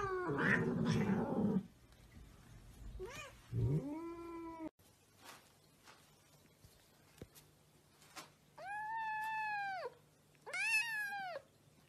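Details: Domestic cat, a pet, giving drawn-out yowling meows: a loud rough burst at the start, then a lower moan and two long arched wails near the end, with quiet pauses between.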